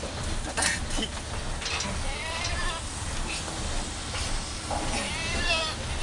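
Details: Domestic goat in Indonesia, restrained while a blood sample is taken for a health check required by agricultural quarantine, November 2010; two wavering, quavering bleats, one near the middle and one near the end, over men talking and handling noise.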